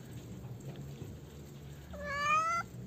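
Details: A hungry stray cat, mother or kitten, being fed by people; one drawn-out meow near the end, steady and slightly rising with strong harmonics, after quiet background hum.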